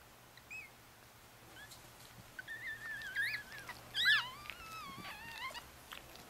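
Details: Four-day-old Chihuahua puppies with their mother, a litter of four males and one female, in Fredericksburg, Virginia: thin, high wavering squeals and whines, several overlapping and bending up and down in pitch, loudest near the middle, over a quiet indoor background.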